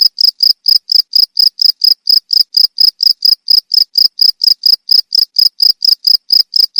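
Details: Shrill cricket chirps follow one another in an even rhythm, around three to four per second, each brief and piercing, with silence between them.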